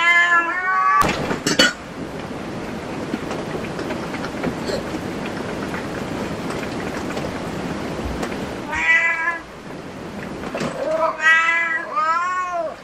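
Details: Cat at a cat cafe meowing: a couple of bent, nasal meows open, then a long stretch of hissing background noise before a fresh burst of three or four arching meows near the end.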